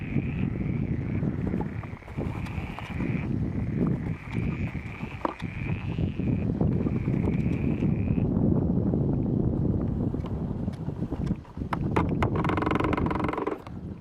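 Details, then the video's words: Frogs singing together in the pond at Stagno di Pilo: rapid, crowded low croaks pulse continuously under a sustained thin tone that breaks off after about eight seconds, with louder rustling toward the end. "Poju istagnu de Pilo; càntigu de sas ranas - Stagno di Pilo: canto delle rane"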